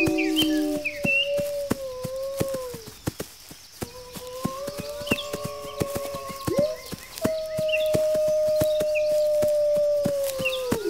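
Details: Several wolves howling together, a call said to rally pack members to gather defenses: layered sustained tones at different pitches, some bending up or down, broken by a short pause. Frequent crisp clicks and scattered high chirps are also heard.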